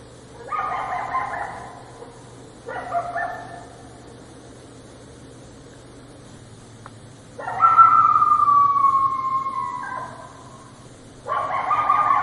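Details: Coyotes in a street give harsh, wavering barks and a drawn-out howling wail, with pauses between bursts.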